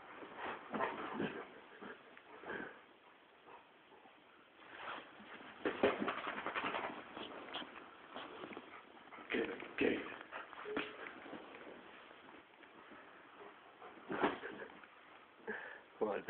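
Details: Rhodesian Ridgeback dog fighting with his pillows, recorded on a phone: bursts of rough, huffing and growly play noises in uneven clusters, loudest around six and ten seconds, with quieter snuffling gaps between.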